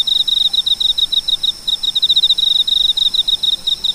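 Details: A cricket's high-pitched chirping, a steady string of short, evenly spaced pulsed chirps repeated several times a second without a break, over a quiet hissing background.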